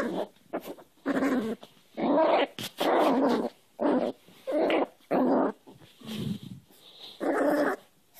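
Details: Play-fighting new cairn terrier puppy wrestling a hand, giving a run of gritty growls in bursts of under a second, separated by brief silences, steady and insistent.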